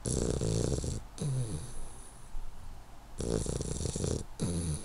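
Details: Asleep, 12-week-old Hungarian Vizsla puppy Henry gives long, hissing snores, each lasting about a second. A low rumbling, snorting breath sounds between them.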